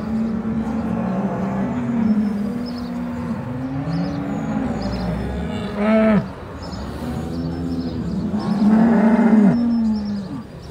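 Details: Brown Swiss cows at the Appenzell cattle show in Switzerland, 2022, giving steady low moos that rise and fall, several overlapping, plus two louder drawn-out bellows, with background chatter and clatter.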